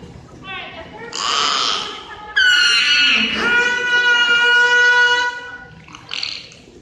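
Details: Beluga whales held at SeaWorld Orlando's Wild Arctic exhibit: a brief buzzy burst, then a long harmonic-rich cry that dips, levels into a steady nasal tone for about three seconds, and ends with a short raspy note.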